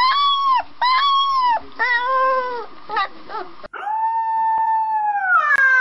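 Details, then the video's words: Puppy howling in short, bright wavering arcs, several sliding down at the end, repeated about once a second, then one long, steady, slightly rising howl closing with a sharp higher cry. "Cute Puppies Howling"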